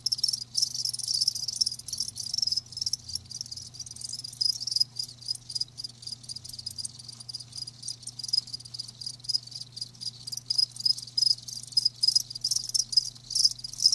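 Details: Many live crickets trill together, their shrill pulsing chirps packed tightly and broken by short gaps, with a soft continuous low hum beneath.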